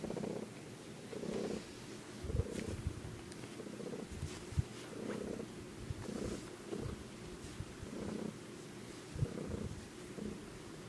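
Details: Indoor male house cat giving a strange purr, recorded on an iPod in a bedroom: deep, even rumbling pulses repeating about every second, with a few soft taps in the background.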